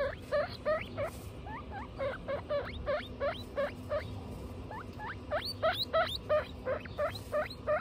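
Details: Domestic guinea pigs, Butter and her babies Lion, Tofu and Mochi, calling in quick rhythmic bursts of piercing, upward-curving squeals, some reaching very high, about three per second against low household hum.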